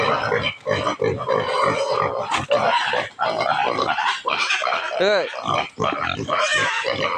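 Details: Hungry native pigs being given their feed: dense, raspy squeals and grunts crowd together in rapid bursts, while a man's voice mixes in among the noise.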